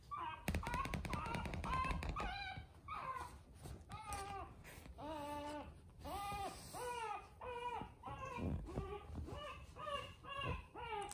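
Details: A chubby black male pug puppy gives a run of high, nasal whimpers, each arching up and down, about one per second.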